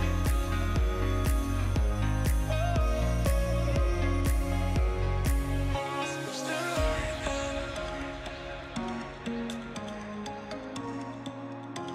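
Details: Pop music with a steady beat and singing that thins out halfway, with no animal sounds.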